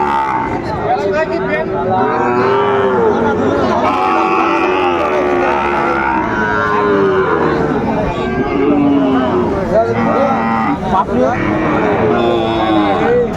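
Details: Sahiwal bull calves at a busy cattle market on 9 January 2025, bought by a Dhaka farmer; drawn-out, harmonic lowing calls rise and fall one after another over steady crowd chatter and bargaining voices.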